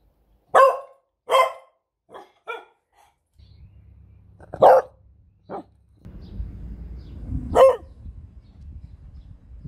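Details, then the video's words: Pet beagle barking indoors: two loud sharp barks close together, then two quieter short yips, later single barks spaced a few seconds apart over a low rumbling background hum. "What does a beagle sound like? Cute Beagle Sounds!"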